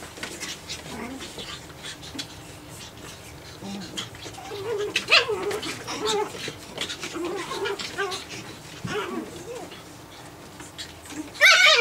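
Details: Nine-week-old Japanese Chin puppies at play indoors; scattered small yelps and growly whines from about four to nine seconds, a sharp squeal near the end, quiet background between.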